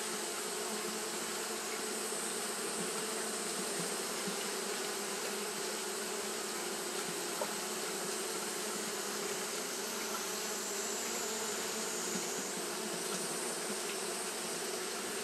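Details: Colony of Japanese honey bees keeping up fanning behaviour through a hot day: an unbroken, even buzzing drone that never pauses or changes pitch, with a thin high hiss in the background.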